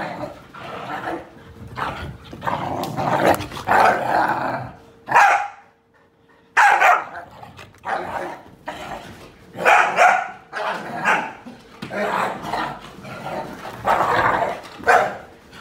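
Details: Whippets barking in rapid, rough bursts, clustered in volleys with brief pauses; a person exclaims just before, and a steady faint hum runs underneath throughout.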